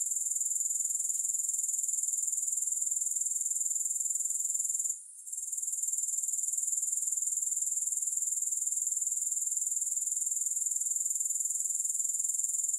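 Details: Continuous shrill grasshopper buzzing in fast, even pulses, with one short pause near the middle before the high trill carries on uninterrupted.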